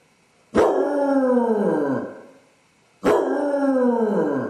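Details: Dodger, a basset hound left alone in the house, howls with separation anxiety while his owners are out: two long falling howls, each about one and a half seconds, with a rich harmonic tone sliding downward.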